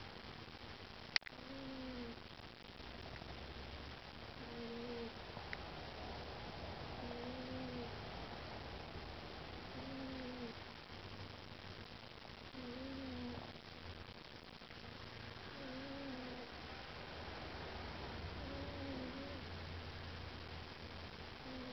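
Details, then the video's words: Bengal cat, sleepy, snoring in a small room; about eight evenly spaced whistled snore breaths, one roughly every two and a half seconds, above a steady low hum. "Snoring Sleepy Bengal"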